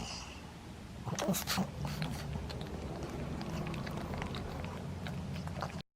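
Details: Maria, a nine-year-old pug in Japan, recorded playing indoors on 11 January 2020; a low, rumbling growl runs steadily through most of the recording, broken early by a couple of sharp snorting bursts, with faint clicks of movement.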